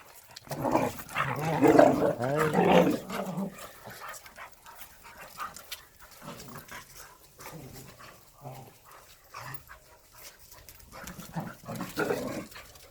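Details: Korean native Jindo dogs, three of them, let loose for exercise time. A loud burst of rough growling and barking fills the first few seconds, followed by quieter scuffles and short grunts while a man's voice urges them to run.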